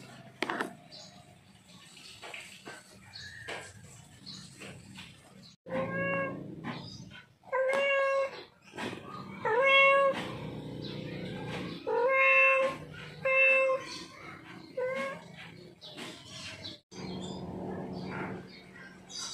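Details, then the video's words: A male cat in heat calls to a female with a series of repeated nasal meows, several in quick succession mid-clip, steady-pitched and harmonic-rich, amid clicks and light background rustling. "Suara Kucing Jantan Birahi Panggil Kucing Betina"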